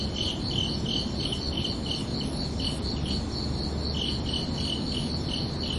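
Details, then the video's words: Crickets calling under a night sky: high, ringing chirps come in bursts, pausing for a second or so midway before resuming, over a continuous low hiss. "Calming Cricket Sounds for Relaxation"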